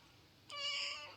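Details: Pet cat sulking after being refused a massage, one rising-then-falling tonal meow lasting about half a second, clear and harmonic, against a quiet indoor background.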